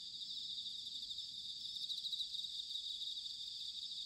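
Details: Bell crickets in autumn at Sanuki, Chiba, Japan, captured with a ZOOM H6 or TASCAM DR-05X: a dense, continuous high shimmering chorus of insects over a soft low rumble of background noise.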